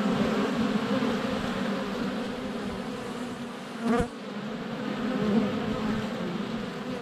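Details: Honey bees in flight at a hive entrance on a sunny February day, recorded with a GoPro Hero 7 Black less than a foot away. A dense, steady low hum fills the clip, broken near the middle by a sharp knock as a bee lands on the camera.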